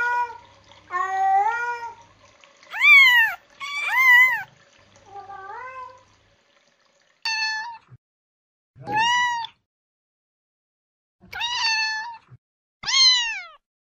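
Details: Kittens meowing in quick irregular succession, with a mix of rising and falling mews, some loud and piercing, others softer and lower. Faint background noise sits between them.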